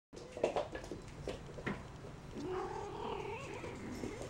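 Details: Persian kittens of one litter playing wildly indoors one morning: a few soft knocks and scuffles, then a drawn-out, wavering, harmonic whine that rises and falls over the last two seconds.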